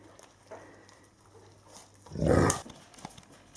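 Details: Alaskan Malamute puppies, eight weeks old, playing together in poor weather; after quiet shuffling, a single loud, rough bark lasting under half a second, followed by soft scuffles.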